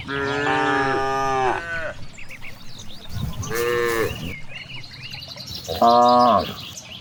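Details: In a large rice field where cows graze, a long drawn-out moo opens, then a softer shorter one and a final brief loud moo, with birds chirping faintly between calls.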